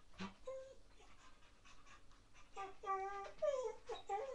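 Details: Baby Rottweiler puppy during a wild, frantic play session, streamed live: a few high, wavering whines and yelps with bent, falling pitch bunch up in the second half, after a person calls to the pup.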